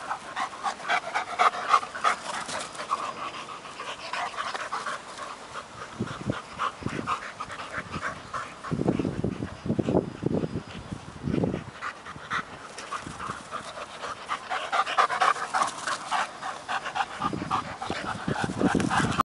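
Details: Working Mastiff pup Nobi, 10 months, and eight-year-old bull terrier Tasha tussle over a stick while chasing each other; rapid rhythmic panting throughout, with several low gruff bursts in the middle and steady background rustle.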